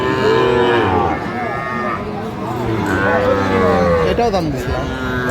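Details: Sahiwal bull calf at a cattle market in Cumilla, Bangladesh, 15 January 2025: drawn-out, harmonic lowing moos, one near the start and another around three seconds, over bargaining voices and background music.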